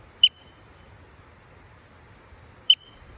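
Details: A yellow-bellied marmot on the Blue Lake trail, Indian Peaks Wilderness, Colorado, gives two sharp, high whistled chirps about two and a half seconds apart.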